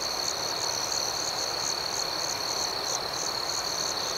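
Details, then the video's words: Night chorus of crickets: one continuous piercing high-pitched drone overlaid by rhythmic, evenly pulsing chirps a little higher, dense and unbroken for the whole stretch with no other sounds. "Soothing Cricket Sounds"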